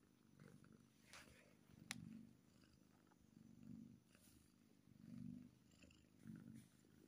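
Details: Happy kitten giving a low, rhythmic purr that pulses in waves about every one to one and a half seconds, with occasional small clicks and rustles.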